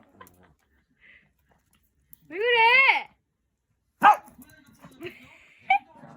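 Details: A female Shih Tzu barks at her own daughter for no apparent reason: a drawn-out, wavering, whiny bark, then a sharp yap and a shorter one.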